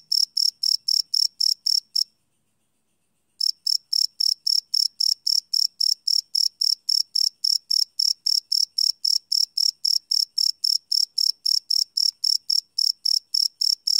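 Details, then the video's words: Crickets at night, recorded live without loops on a field recorder: a steady run of short, high, bright chirps about four per second, broken by a silent gap of roughly a second and a half before resuming; no other sounds. "Cricket Chirp Sound - Cricket Sounds at Night"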